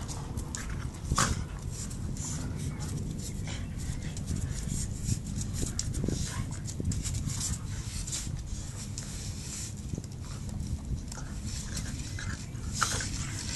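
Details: A 9-month-old Shiba Inu in rough play with a 2-year-old black Lab mix on a patio: heavy panting, snuffling and low scuffling noises.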